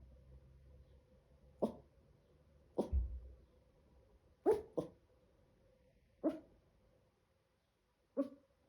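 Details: A 7-month-old Chihuahua puppy making an odd sound: six short, sharp yips spaced irregularly over about eight seconds, two in quick succession near the middle, over a faint steady indoor hum.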